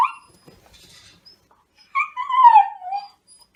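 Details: Young male black Shiba Inu whining while waiting for food indoors: a brief high cry at the start, silence, then a longer wavering whine that slides downward and fades, with a quiet background.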